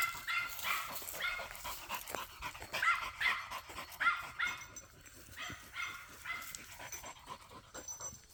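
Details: Jagdterrier hunting dog in the field, giving rapid high yipping barks in busy bursts, roughly two to three per second, with uneven loudness and breathy gaps between volleys.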